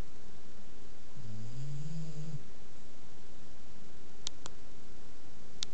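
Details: Duncan, a bulldog, snoring while asleep indoors: a single low, rough, rasping inhalation lasting about a second, followed by quiet room noise and a few faint clicks.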